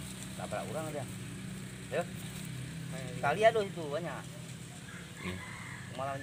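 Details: Goats in Lugu village, Simeulue, Aceh, Indonesia, in 2023: a yellow male and a black female being sold on a morning. Several short quavering bleats, the loudest a pair near the middle, mixed with people talking and a low engine hum.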